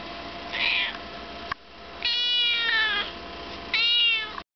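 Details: Chocolate point Siamese kitten aged five months, calling insistently. A brief hoarse mew is followed by a long, loud, strained meow that holds steady and then falls. A final shorter high cry comes after a pause.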